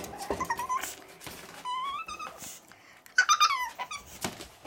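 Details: Pug puppy giving thin, high squeaky whimpers: short rising whines in separate bursts, some sliding upward, with a louder cluster of squeaks near the end, between soft clicks and light tapping.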